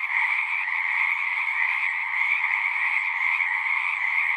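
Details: Singing frogs form a thick, constant wall of sound: a bright, high-pitched shimmering trill layered over a slightly lower droning band, even in loudness throughout, with nothing else clearly audible.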